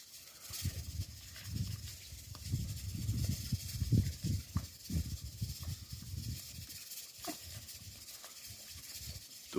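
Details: Three free-range wild boars, two females and a male, eating their breakfast feed in the morning after a hungry night; low, rough grunts and munching pulses repeat steadily for about six seconds, with a man speaking intermittently.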